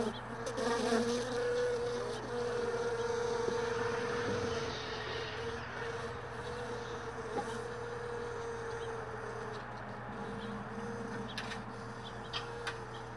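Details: Early-morning honey bees at hive boxes left all day in a truck bed, most of the colony already gone. A close bee circles with a wavering, humming buzz over a constant low drone, louder at first and then easing.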